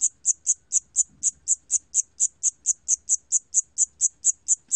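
A Siamese cricket gives a steady run of high, shrill chirps, about four each second.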